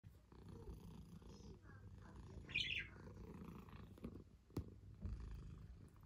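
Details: Domestic cat purring: a soft, low rumbling purr runs through the clip, with a brief high chirp midway and a few faint clicks and taps.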